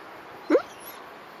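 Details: A Dobermann aged two years four months, kept behind a fence, on alert at a wild fox cub on the morning of 14 October 2018 at 10:37. A single short, rising whine-like yelp, with quiet before and after.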